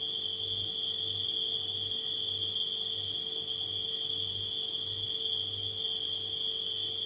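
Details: A constant high-pitched cricket trill runs without pause through the night ambience, layered over the rhythmic low drone of a refrigerator.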